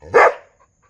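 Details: A single sharp, loud dog bark, abrupt and harsh, fading quickly into near silence.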